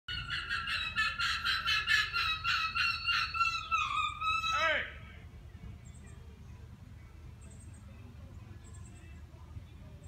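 An Arctic fox gives a rapid, harsh series of yelping calls, about four a second, during mating season.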